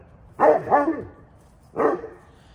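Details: Barking exchange from Vern, a rescued St Bernard living with bone cancer, answering neighbourhood dogs: a quick double woof, then a pause of about a second and a third bark, all deep and harmonic-rich.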